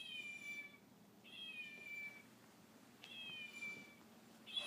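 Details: Meowing fox at play with a baby chow gives three high, reedy, drawn-out whines that slide gently downward, spaced over about four seconds, with a faint clatter between calls.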